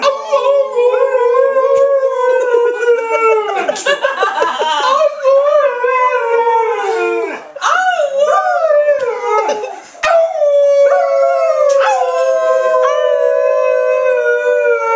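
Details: A pet Alaskan Malamute, Trixie, howls with her owners in a mix of long, steady tones and short, wobbling, yip-like slides, with overlapping voices and brief breaks throughout.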